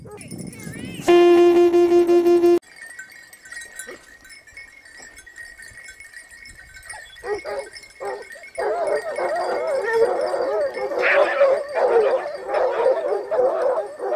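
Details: Basset Hound pack of Topsfield Lebrera, Spain, hunting in its second season, 2015-16. A loud steady tonal blast opens the recording, then a quiet stretch, then several hounds break into overlapping, wavering baying that carries to the end.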